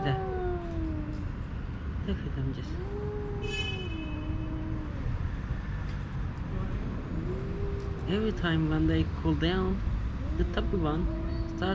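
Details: Rival homeless male cats trade moaning yowls on private property while a female house cat watches; repeated wavering, rising and falling howls, with a man talking over the later part.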